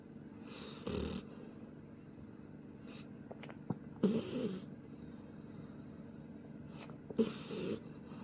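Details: Pit bull puppy Shadow asleep and snoring, three rough snorting breaths spaced about three seconds apart, some with a throaty rattle, plus faint clicks and small knocks between them.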